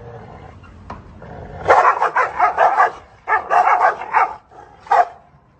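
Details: Two dogs bark at each other through a gate: after a quiet start, dense bursts of rapid, overlapping barks build up, break briefly, resume in a second flurry, then end with one final sharp bark.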